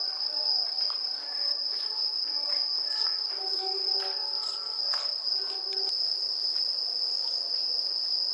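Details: Autumn night chorus of bell crickets at a festival in Kamakura, Japan: one sustained piercing ringing note runs the whole time, while faint tonal sounds, possibly distant music or voices, come and go in the first six seconds.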